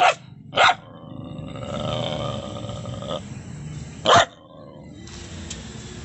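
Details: Rescued Golden Retriever, taken from a slaughterhouse by the barangay, growling: a sustained rough, low-pitched rumble through the middle of the clip, with sharp knocking bursts near the start and another at about four seconds, over steady background noise.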